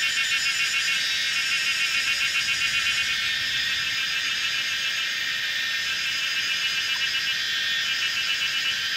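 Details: Kaempfer's cicadas in a lively chorus at a bend on the old Route 106 mountainside, Pinghe Village, Taiwu Township, Pingtung County, at 17:30 on 19 May 2016, recorded on a Canon PowerShot SX700 HS: dense, steady high buzzing with a fast pulsing shimmer throughout.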